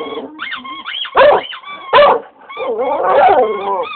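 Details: English Cocker Spaniel howling indoors in response to a squeaky toy: wavering, rising and falling tonal howls with strong harmonics, broken by two short loud squeaks of the toy near the middle.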